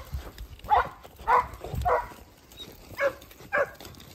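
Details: Segugio Italiano puppies, 8 and 17 months old, with their sire Geko, letting out five spaced, husky barks over a low background rumble, with uneven gaps between them.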